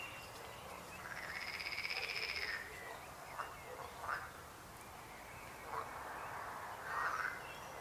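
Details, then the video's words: Frog giving one long buzzy pulsed trill, followed by several short, scattered croaks of varying pitch from other frogs nearby over a soft background hiss. "Rechot żab. Croaking frog sound."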